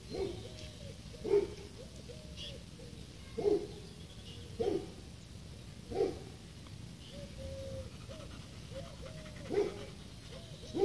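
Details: Seven-month-old pit bull giving soft, thin whimpers, brief wavering whines spaced about a second apart, with quiet breathy sounds between them and steady background hiss.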